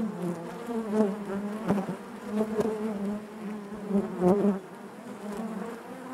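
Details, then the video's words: Steady honey bee drone inside a hive, low and resonant with bright overtone bands, repeatedly swelling in short bursts amid crisp tapping sounds before easing off near the end. "bees therapy hive natural buzzing sound"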